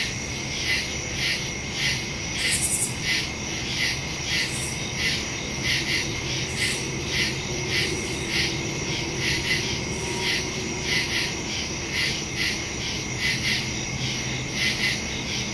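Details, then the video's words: Nighttime cricket chorus in woodland, recorded in September by phone and stereo microphone: rhythmic high-pitched chirping pulses over a steady drone, with a brief sharper high click near the start and faint low hum. "Crickets in the woods at night"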